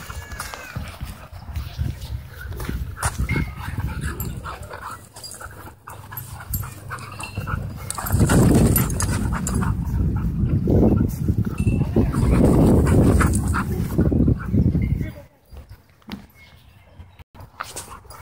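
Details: Dogs in wild play at a dog park, with rough, low rumbling growls and panting in dense overlapping bursts that swell loudest midway, then fall away to quieter scuffling near the end.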